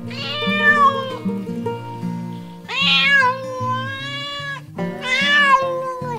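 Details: Farm cats meowing: three loud, strained meows about every two and a half seconds, each starting high and sliding down into a drawn-out tone, with plucked music running underneath.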